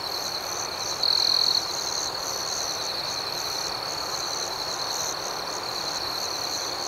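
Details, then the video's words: Crickets chirping through the night. An even, high-pitched trill hums steadily under faint rhythmic pulses. One nearer insect adds a brief, louder buzzing trill about a second in, then fades back into the chorus. "Soothing Cricket Sounds"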